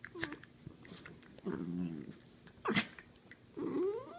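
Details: Dachshunds wrestling on a couch, playful growling: a low rumbling growl near 1.5 seconds, a sharp snort-like burst near 2.7 seconds, then a rising whiny growl at the end, with soft rustling between.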